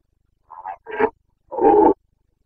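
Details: Carpathian red deer stag during the autumn rut in the Bucovina mountains: two short throaty grunts followed by one loud, sustained, rasping roar, with no other sounds.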